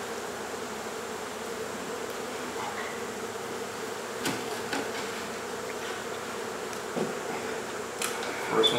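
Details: Honey bee swarm buzzing inside a house in Mission, Texas, while their wall hive is removed and relocated: a continuous droning hum, punctuated by scattered clicks and knocks, with a brief voice near the end.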